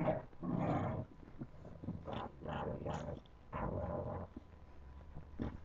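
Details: Puppies playing: a series of low, rough growls in bursts of about half a second to a second, broken by short pauses.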